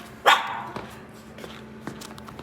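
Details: Maltese–Shih Tzu mix puppy on a dog-friendly trip to work with its owner gives one sharp, bright bark at the start, followed by faint rustling and soft ticking sounds indoors.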